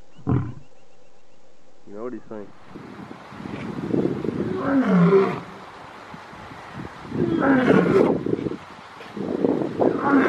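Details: Lion roaring, linked to the African savanna: short grunting bursts open the clip, then deep, rough roars swell and fade in two long waves, with a third starting at the end.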